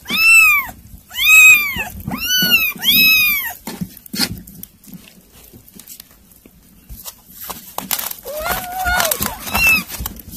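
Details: Several loud arched kitten meows open the recording, where kittens are eating weaning food, followed by a quieter stretch with clicks and a few softer wavering mews near the end.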